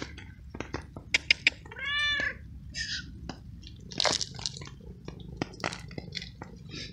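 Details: A young, hungry feral cat with a soaking wet coat meows while waiting to be fed on a cold, rainy night. It gives one clear, arching, drawn-out meow near the two-second mark, amid patter, clicks and other brief noises.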